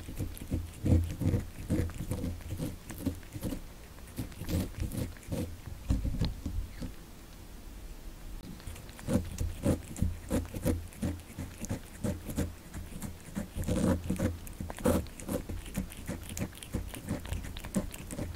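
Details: Kitten eating cat candy, born December 2019: steady wet chewing and crunching clicks in quick irregular bursts, with a brief quieter pause midway.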